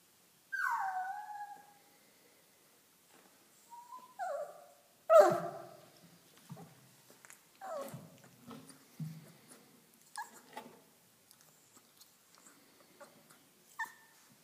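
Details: Dogo Argentino puppies whimpering: high whining cries that slide downward, one louder yelp, then scattered short whines and soft snuffling sounds with quiet gaps.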